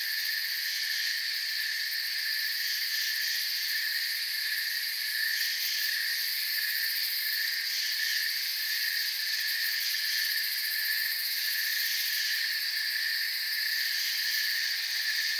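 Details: Steady chorus of forest crickets, a thick, high, rapidly pulsing shimmer with slight waves in intensity, continuous from start to end and free of other noticeable sounds.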